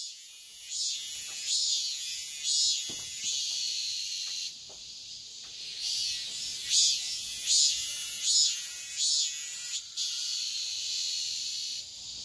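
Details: Cicadas singing at dawn in midsummer: high, hissing buzzy pulses swelling roughly once a second over a steady shrill whine, the pulses briefly fading mid-recording before resuming.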